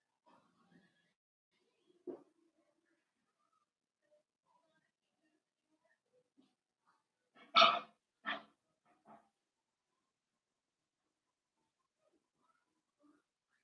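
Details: Indoor puppy pen where blenheim Cavalier King Charles Spaniel puppies play with their mother: mostly quiet, then two sharp, loud barks in quick succession near the middle, followed by a faint softer yap.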